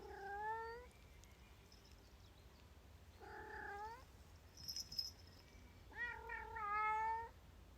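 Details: Bengal cat, female, out hiking in wet weather around Bergen and protesting her wet feet, gives three long, plaintive meows, the last one wavering and slightly rising, with a faint high tone and hiss in the background.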